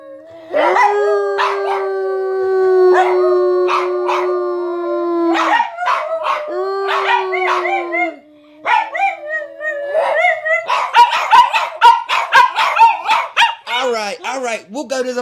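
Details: Tatum and Paco, two dogs, holding long, steady howls for several seconds amid sharp barks, then breaking into a rapid run of barks and yips with wavering howled notes near the end.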